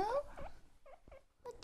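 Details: Two pet guinea pigs making demanding calls indoors: a short rising squeaky whistle opens, followed by several brief chirping squeaks spaced apart, with faint rustling and handling noise between them.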